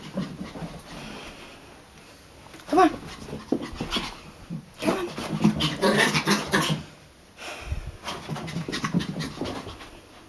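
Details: Excited Chihuahua Brutus, full of energy at night after chasing indoors, pants in quick breathy bursts that grow louder in the middle, with a short sharp sound near the start and soft background music.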